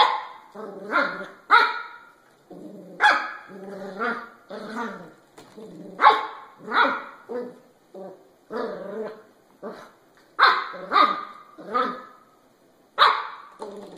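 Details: Cute puppies barking in a compilation: high, sharp yaps in quick bursts, often in pairs or runs of three, some yelping and whiny, spaced by short pauses throughout.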